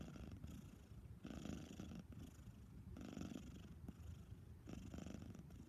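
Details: Lil Ana, a female cat recovering from desexing, gives a steady rumbling snore, coarse buzzy breaths repeating about every 1.7 seconds against low background hum.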